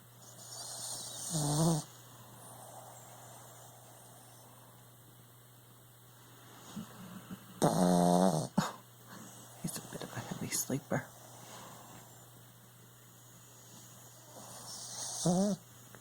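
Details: Puppy, a heavy sleeper, snoring while asleep: three strong rasping, whistly snore breaths spaced several seconds apart, with smaller snuffles and clicks between them and a constant electrical hum behind.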